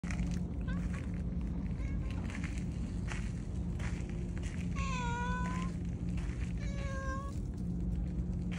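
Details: Black-and-white tuxedo cat meowing while leading its owner along, two clear mid-pitched meows about two seconds apart, each rising then falling, over steady low hum and rustling background noise.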